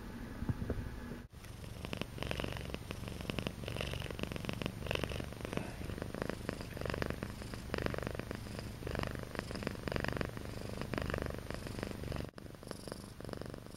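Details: Akari, a pet cat newly settled into her home during the first two months, purrs steadily and loudly, a continuous low rumbling throb with slight rhythmic pulsing and no pauses.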